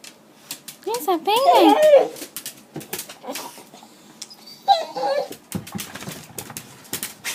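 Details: A female dog, wildly excited as someone comes home, perhaps holding a toy or bone in her mouth, gives a loud warbling, wavering whine near the start and a shorter wobbly one later, amid scattered clicks and taps.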